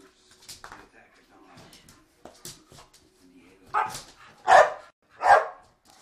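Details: Staffordshire Bull Terriers play fighting; soft grumbles and scuffling, then three loud, rough barks close together near the end.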